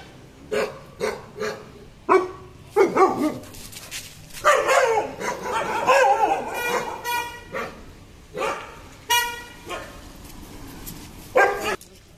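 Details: Aggressive German Shepherd, Sheruu, barking repeatedly: quick sharp barks in close pairs and runs, a long rough growling stretch midway, then scattered loud barks; faint speech in the background.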